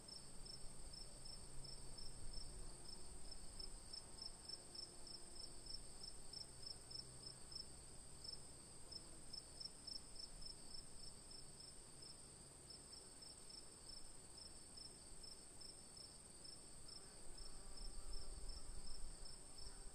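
Crickets chirp steadily in a dense chorus, high pulsing trills running without pause.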